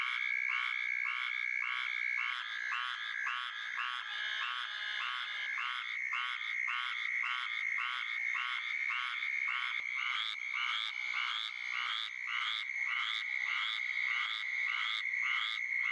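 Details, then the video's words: Duck-like quacking of a squirrel treefrog, a long series of short raspy notes at a brisk, fairly even pace, with other quacking callers overlapping and a steady high whine running beneath. "quack quack and that's what a squirrel tree frog says"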